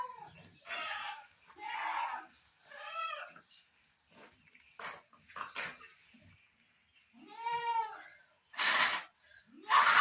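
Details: During birthing time at a Sultanpur farm, a Barbari goat gives quavering, ribbed bleats among sharp broadband knocks and rustles, with a clear nasal cry near the end.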